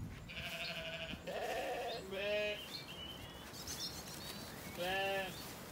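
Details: Zwartbles lambs after weaning, relaxing in an orchard in the evening on a regenerative farm in County Kilkenny, Ireland. Three wavering, nasal bleats follow closely in the first half, then a lone bleat near the end, with quiet background birdsong.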